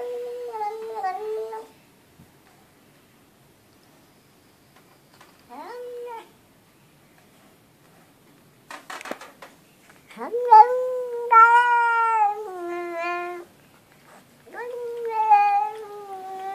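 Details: Domestic cat vocalising indoors like a human: several separate meows, the longest a drawn-out, wavering cry lasting about three seconds, with long silent gaps between calls and a brief rustle in the middle.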